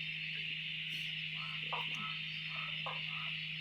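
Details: Frog chorus at a dam near Drake at night after days of steady rain: a steady high ringing background with several nearer short nasal, harmonic croaks repeated at irregular intervals, plus a constant low hum.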